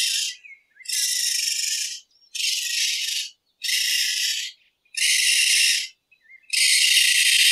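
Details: Raccoon at night: six harsh, hissing, noise-like bursts, each about a second long, separated by short silences, with faint thin chirps in the gaps.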